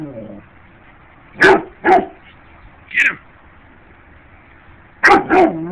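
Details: A dog barking while chasing bugs, giving four short sharp barks in two pairs, the second pair after a long pause, as a person's voice urges it on and music plays softly.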